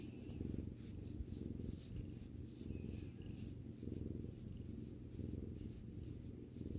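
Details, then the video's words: Close, continuous low purring from a pet cat resting with its owner, the rumble pulsing evenly with each breath, a few faint higher squeaks and rustles in the background. "さくらさんのゴロゴロ音を聴きながらまったりする動画 Video that relaxes while listening to the cat's rumbling sound"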